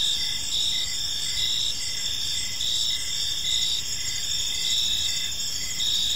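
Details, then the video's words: Evening park chorus of crickets, a steady high-pitched trill layered with short regular chirps about every half second, over faint low background noise. "Cricket Sounds in a Peaceful Park"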